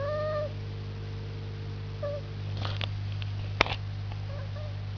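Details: A male domestic cat watching birds gives short, squeaky, bird-like chirps: one drawn-out chirp, then a few brief ones seconds apart, over a steady low hum and occasional clicks.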